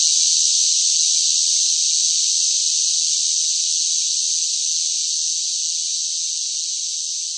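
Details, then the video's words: Cicadas singing loudly in hot summer heat: a continuous, dense, hissing high buzz with no breaks, fading slightly over the seconds, and no other sounds. "뜨거운 무더위 속 시끄러운 매미 울음 소리"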